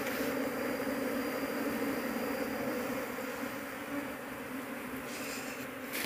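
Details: Dense honey bee (Apis cerana) colony droning while its queen is sought among the crowded workers; steady layered hum, slightly fading midway, with a brief rustling crackle near the end.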